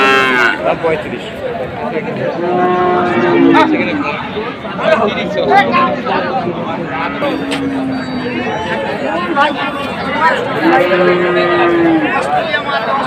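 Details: Holstein Friesian heifers offered for sale at Ambari market. Low drawn-out moos, each about a second long, rise above a steady hubbub of crowd chatter and voices, with other short lowing calls scattered through the busy market noise.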